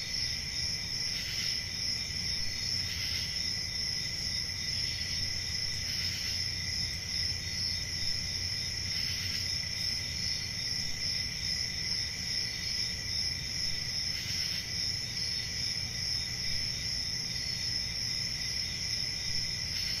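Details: Steady, shrill chorus of crickets on a calm country summer night, the continuous high trill broken by soft brighter pulses every two to three seconds, with a quiet low background hum.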